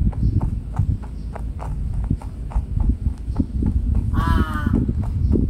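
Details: Feeding rabbit on Japan's Okunoshima (Rabbit Island), recorded 29 June 2022 near 12:29: steady rhythmic crunching clicks over low rumbling background, broken once by a brief harmonic, wavering call from another creature.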